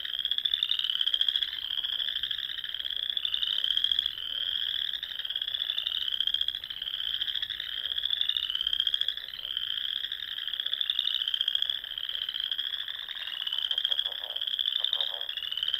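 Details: Dusk frog chorus in spring among the small lakes of Nebraska's Sandhills dunes; overlapping high trills swell and fade in rising waves roughly every second, with faint rapid lower croaks late on.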